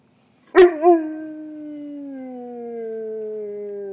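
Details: Pet dog nearing its first birthday howling along with Marylhurst church bells: a sharp yelp and quick wavering note open into one long sustained howl that glides gradually lower in pitch.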